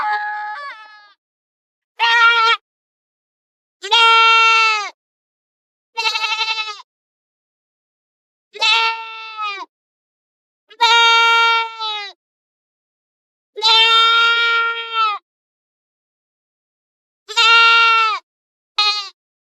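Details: Goats grazing in forest and field before returning home: a series of about nine loud, harmonic, wavering bleats, each roughly half a second to a second long, separated by short silent gaps, with no other sounds.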